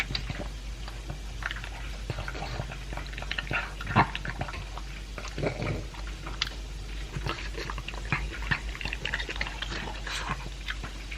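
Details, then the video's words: Two-year-old pug Elvis eats kibble with a piece of beef. Crisp crunching and wet lapping smacks come in clustered bursts, with a few louder bites, over a low steady background hum. "Pug Eating Sound"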